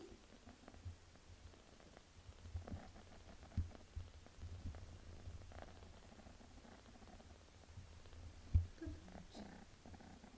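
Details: Mother cat Melania bathing her kitten Pinky, giving a continuous low purr with soft irregular licking and rustling ticks on top, a few sharper clicks standing out.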